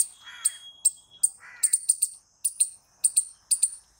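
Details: Loud squirrel calls: piercing high chirps in pairs and triplets, broken by brief pauses, with two soft lower warbling sounds early on.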